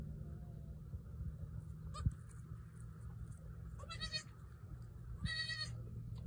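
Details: Newborn female goat kid trying to jump around; two short, nasal bleats with rich harmonics near four and five seconds, a soft thump just before, over steady low rumbling background noise.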